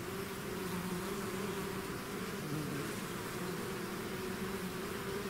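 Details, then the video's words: Honeybee swarm out of its hive producing a steady, dense buzzing drone, bright hum bands near 200 and 400 with a broad hiss above, unbroken and even in loudness throughout. "bees therapy swarm natural buzzing sound"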